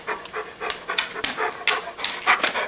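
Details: An older pet dog huffs in rhythmic, breathy bursts while asking to be fed because he is hungry, about eight short pulses in under three seconds; the owner speaks softly nearby.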